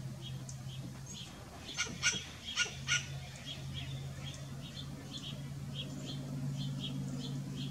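A western grey squirrel gives short, sharp barks, repeated in a quick series over a steady low hum.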